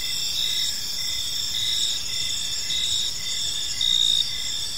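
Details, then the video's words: Park crickets at dusk give a continuous high trill with short, evenly spaced chirps and a louder burst toward the end; faint low rumble underneath. "Cricket Sounds in a Peaceful Park"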